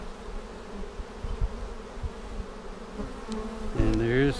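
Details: Honey bee colony buzzing as a beekeeper searches for queen cells seven days after a vertical split, March 10, 2019; a constant low hum with soft thumps and handling knocks, then a louder rising tone near the end.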